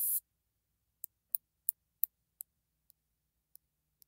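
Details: A northern bush katydid (Scudderia septentrionalis), common in the Midwest and Illinois, gives dry, very high ticks at uneven intervals, a slightly more active ticking interspersed with buzzing.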